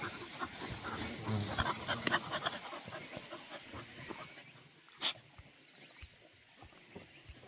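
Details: Golden Retriever puppy panting in quick, breathy bursts, around three per second, strongest over the first few seconds before fading, with a single sharp click near the end.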